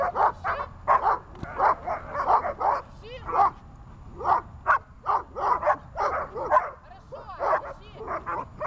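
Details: Glemmy the dog in a barking session, letting out a rapid, almost nonstop volley of loud barks, several per second, with short yips mixed between them over nearly nine seconds.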